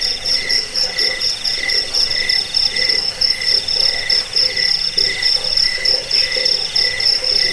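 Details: Cricket chirping, offered as a recording to repel rats, aid sleep and tutor songbirds: a steady high ringing tone with short buzzy pulses about twice a second, overlapping lower trills, with no other sounds.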